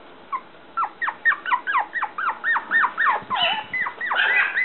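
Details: Black female toy poodle puppy, 57 days old, from a breeder in Shiga, Japan: a run of high whimpers and squeaky yelps repeated about four per second, each a short rising-then-falling whine, growing busier and overlapping toward the end.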